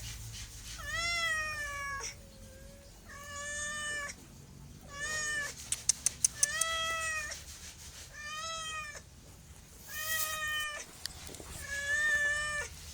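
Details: Domestic cat meowing repeatedly, drawn-out harmonic meows about a second long with a slight rise then fall, separated by short pauses, some clicking noises midway.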